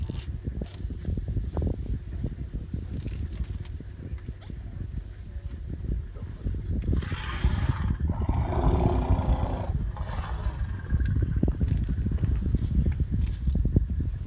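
Deep, low rumbling fills the background throughout. Midway an elephant lets out a harsh, blaring call lasting a few seconds before the low rumble takes over again.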